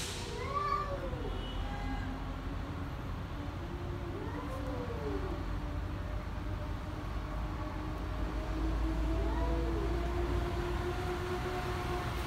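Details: Two angry cats trade low arched moaning yowls, each rising and falling over about a second, repeated several times, with a higher wail near the start and steady low traffic rumble throughout.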